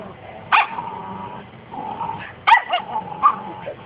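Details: Dog under a vicious, unprovoked attack: two sharp, harsh yelping bursts about two seconds apart, with strained, whining tones and growl-like rumbles between them over a steady murmur of background noise.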